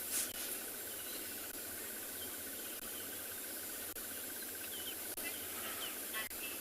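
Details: A tree squirrel alarm-calls with a fast, even run of clicking chatters for several seconds, amid faint bird chirps and hissy bush, on a cool, rainy morning game drive in a South African reserve, 26 January 2021.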